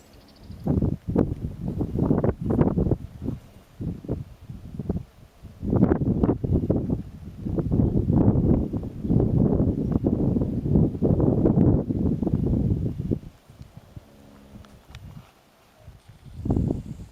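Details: A horse named Moon snoring: loud, rough, breathy rumbles come in irregular waves of low noise for about thirteen seconds, then die down to quieter snuffles before one last short burst.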